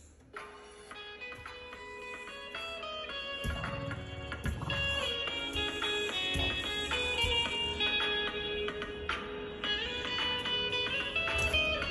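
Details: Plucked and strummed guitar music plays throughout, with no animal voice heard.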